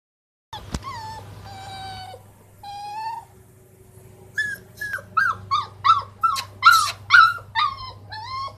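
A Rottweiler puppy cries with long, wavering whines that break into quick, high yelping whimpers.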